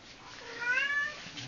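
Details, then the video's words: Pet cat at home calling its owner toward the kitchen, giving one smooth meow that swells and fades over about half a second against a soft, hissy background. "Cat Calling me to Kitchen"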